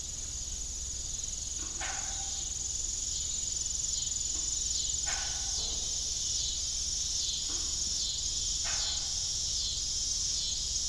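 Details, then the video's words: An evening cricket chorus on an old family farm with a disused windmill: unbroken shrill trilling overhead, while creaking squeaks recur roughly every three seconds. "Evening Cricket Sound"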